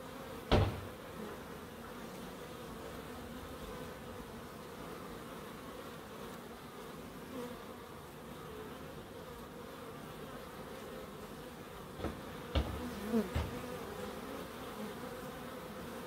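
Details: Bees in a small wildlife garden behind an end terrace house in Crookes, with a pond and bird boxes: a steady, low droning hum with even overtones throughout, broken by a sharp click near the start and a few soft knocks toward the end.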